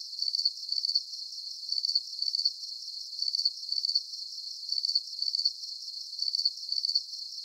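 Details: Soothing cricket chorus meant as a sleep aid: thin, high-pitched chirps repeat in tight pulsed groups roughly every half second, steady and rhythmic over a faint high hiss, with no other sounds.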